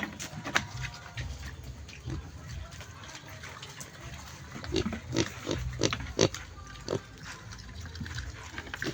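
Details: Pig grunts scattered over a noisy, rumbling background, becoming more frequent and louder midway with a cluster of short nasal grunts, then thinning out.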